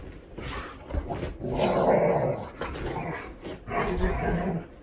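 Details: Seven-year-old Golden Retriever Hatch, female, mutters through a dog-soap shampoo. Rough, rumbling growl-moans build into a longer sustained grumble, then fade and return in shorter bursts.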